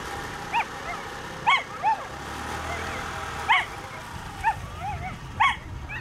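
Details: Male Whippets at a 2019 race run; short high yelping barks, rising then falling, come in bursts about once a second with a steady background hum.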